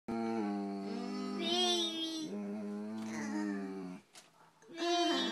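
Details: Oliver, a golden retriever, grunts and moos like a cow when talked to like a baby; a long, drawn-out, voiced moan holding steady then wavering, broken by a brief pause and a short final rise, indoors.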